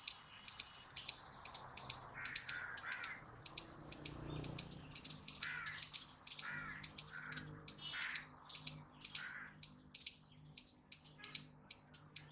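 A squirrel gives sharp, high chirps in a steady run, about two or three every second.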